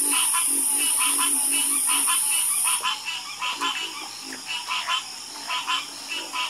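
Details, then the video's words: Frog chorus croaking at night, overlapping short pulsed croaks repeating in quick bursts, with a steady high insect-like whine for the first three seconds that then stops. "Calming Sound Of Harmonious Frog Croaking"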